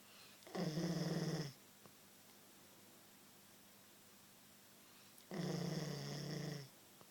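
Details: Sleeping Queensland Koolie dog snoring before being woken: two long, harsh, buzzy snores roughly a second each, separated by about four seconds of near silence, low rumbling tone with bright upper harmonics.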